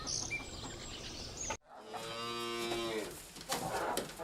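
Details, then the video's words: Domestic cow on a farm: after a brief cut, one steady, full-toned moo lasting over a second, with background rustling noise before and after. "Farm Animal Sounds | Moo Moo Cow"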